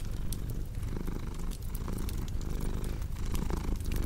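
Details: Purring house cat, a dense low vibrating drone with gentle breath-driven surges, accompanied by light crackles and pops of a fire.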